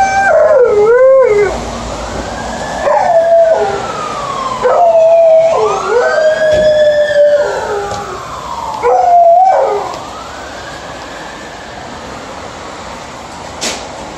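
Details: Alaskan Malamute Liza howling during an early morning dog walk. Rising-and-falling wavering howls come in bursts about every three seconds, then fade into quieter background in the last seconds.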